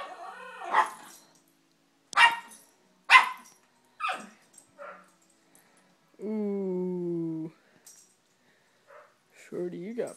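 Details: Two Yorkshire Terriers fighting: a few sharp barks and yips, then a long drawn-out whine, with human speech mixed in.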